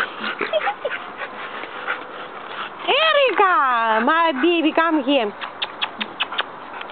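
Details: On a playground, bulldog puppies at play produce a long, wavering whine lasting over two seconds, rising and dipping repeatedly, followed by soft clicks, with people talking in the background.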